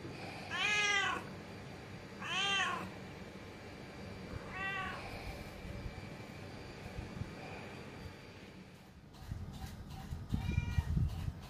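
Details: Pet cat calling out so as not to be left behind, giving three clear arched meows in the first five seconds, then a faint one, followed by rustling and handling noises and a weaker final meow.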